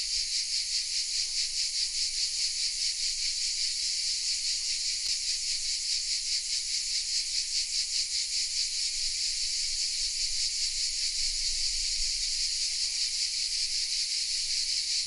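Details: Cicadas singing hidden in oak trees of the small village of Vézénobres in the south of France, captured on a Sony RX10 M3 camera: a dense, continuous high-pitched buzzing chorus with a fast pulsing shimmer, steady throughout.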